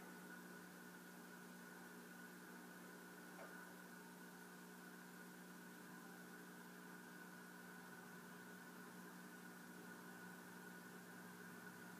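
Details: Steady mechanical hum with layered electrical tones and faint background noise throughout, no animal voice present.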